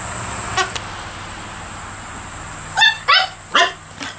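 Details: Dog at play on a porch with squeaky toys; after a near-silent stretch, three quick harsh barks or squeaks follow in the final second and a half, over a constant high hiss.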